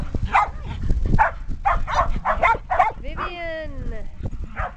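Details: Shetland Sheepdog herd, including six puppies aged 8.5 weeks, playing outdoors in a yard after days of cold, wet weather in 2010; a rapid, irregular run of yappy barks, then a person speaking, then one more bark.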